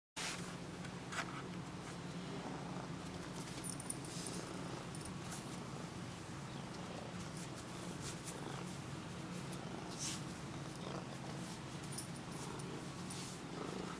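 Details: Tessie, a pet Siamese cat indoors, seeking attention, filmed in low light on a Sony HDR-CX550V camcorder; a steady low rumbling purr runs throughout, with faint rustling and soft clicks above.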